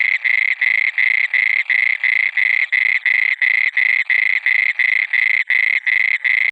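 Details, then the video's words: Nocturnal frog croaks, harsh and grating, repeated evenly close to three per second in an unbroken chorus-like series, with no other noises. "مینڈک کیسے ٹر ٹراتا ہے||Mandk Ki Awaaz||Frog Sound"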